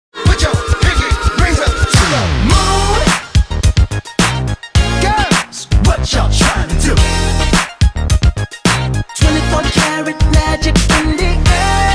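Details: No animal sound is heard, only hip hop style music with heavy bass beats, layered synth tones and a few brief pauses.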